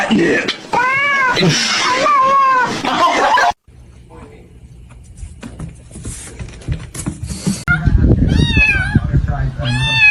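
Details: Cats in a funny kitten compilation meowing: a run of loud arched, whiny meows over the first few seconds, then quieter background noise and music, and more rising-falling meows near the end alongside speech.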